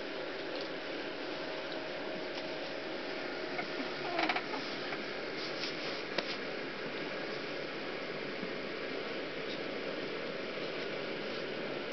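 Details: A steady mechanical hum like a fan fills a small indoor room, with a few faint clicks and a brief rattle near four seconds; no animal voice is heard.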